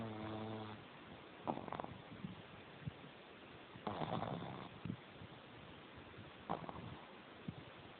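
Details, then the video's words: A pug named Jemma snores in her sleep with tongue out and eyes open, opening with a buzzy, humming snore, followed by irregular raspy snorts and breaths every one to two seconds. "Jemma the Pug Snoring with her tongue Out"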